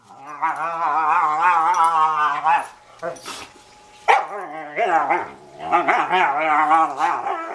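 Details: Pet German Shorthaired Pointer, kept alongside an Australian Cattle Dog, making funny noises: long, wavering, harmonic howl-like moans with a singing, talking quality, broken by short pauses and breathy gaps, then resuming in drawn-out wobbling tones.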